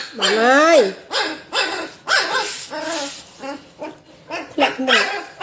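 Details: Puppies playing together give a run of high, whiny yelps that bend up and down in pitch: one long drawn-out yelp first, then about eight shorter ones spaced roughly half a second apart, with light background noise.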